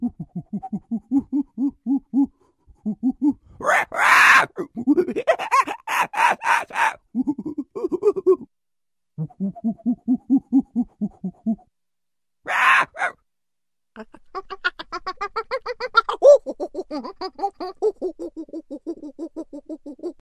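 A monkey gives rapid runs of low, hooting calls broken by harsh, explosive shrieks.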